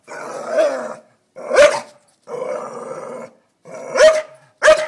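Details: Doza, a Staffordshire Bull Terrier guarding against an uninvited blue-tongued lizard, alternates long rumbling growls with short sharp barks. Three growls of about a second each are broken by abrupt barks.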